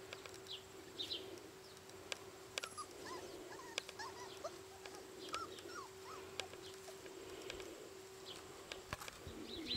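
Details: Four-week-old Siberian Husky puppies from the litter of Karma and Midas give soft, high whimpers and short squeaky whines scattered through the recording, over faint clicks and a steady low hum.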